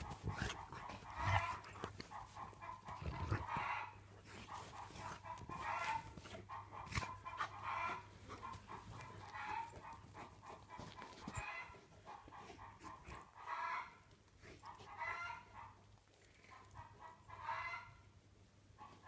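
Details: Tornjak, the Bosnian-Croatian livestock guardian sheepdog of Bosnia and Herzegovina and Croatia, giving a series of barks spaced roughly two seconds apart, with rustling background noise throughout.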